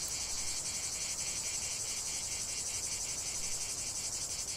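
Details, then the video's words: A chorus of cicadas in a lavender field makes a steady, piercing buzz, beaten into regular pulses of roughly three per second. No other clear sounds are heard. "chant de CIGALES au cœur d'un champ de lavande"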